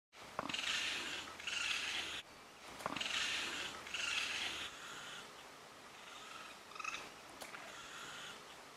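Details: Three young raccoons that fell from a steep cliff they couldn't climb, in Japanese mountains, call loudly with harsh, breathy chittering bursts in quick runs on noticing people, until their mother comes down and carries them up.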